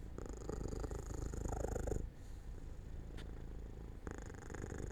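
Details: Sleepy domestic cat near an open window in sunshine, a low steady purr that fades softer after two seconds before swelling again, with a small click heard once.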